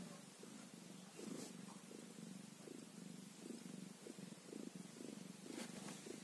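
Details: One-day-old kitten purring softly and steadily, a low rhythmic rumble pulsing in short, even bursts throughout, with a couple of faint clicks and light background hiss.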